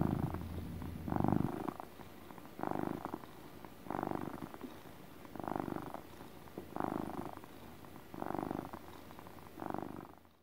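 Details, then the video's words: Relaxed cat's rhythmic motor purr, a low vibrating rumble pulsing about every 1.4 seconds, eight bursts in a row, then fading out at the end. "Relaxing purring (ASMR cat sounds)"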